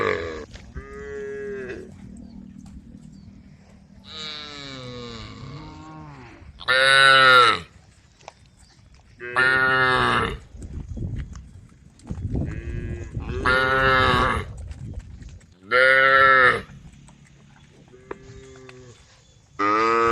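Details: Herd of tame cows calling the herd, several animals mooing in turn: about eight drawn-out bellows, some soft and distant, others loud and close, each an arched harmonic tone lasting around a second.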